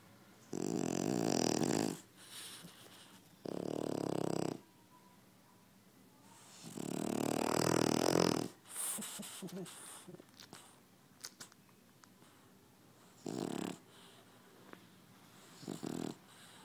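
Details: French Bulldog snoring loudly, with several harsh, rasping snores of one to two seconds, the longest near the middle, followed by softer snuffling, snorting breaths and a few brief grunts.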